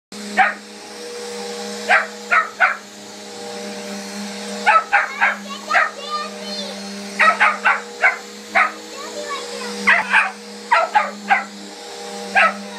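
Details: Hiccup, a Miniature Australian Shepherd, barking at a running vacuum cleaner indoors: sharp barks in quick bursts of two or three, separated by brief pauses, over the steady hum of the vacuum; a few whining squeaks in between.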